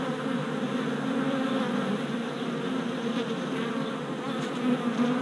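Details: Many honey bee workers circling a newly installed hive body on orientation flights in late April 2017, GoPro Hero Session 5 recording; an even, thick wing hum with faint passing whines near the end.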